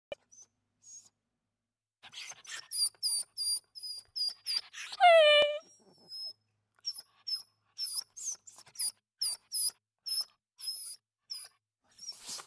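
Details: Small puppies playing give rapid, high-pitched squeaks in quick bursts, with one longer whine that slides downward.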